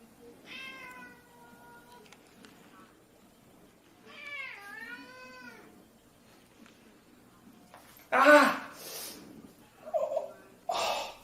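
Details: Domestic cat meowing indoors: two drawn-out, tonal meows a few seconds apart, the second dipping and then rising in pitch, followed by loud bursts of rustling noise and a human voice.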